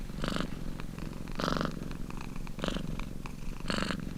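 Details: Domestic cat purring in a long relaxing recording: a steady low rumbling drone with louder breathy surges roughly every 1.1 seconds, four surges in all, each with a rasping airy hiss on top.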